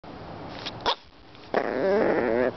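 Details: A 12-week-old Shih Tzu puppy "talking": a short sharp yip, a pause, then a drawn-out wavering whine-howl with rising and falling tones lasting about a second.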